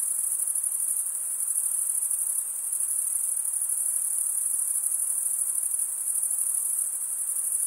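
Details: Male crickets chirping through stridulation, scraping a serrated wing vein with the other wing, make an unbroken high-pitched buzzing trill, even in loudness from start to end, with nothing else audible.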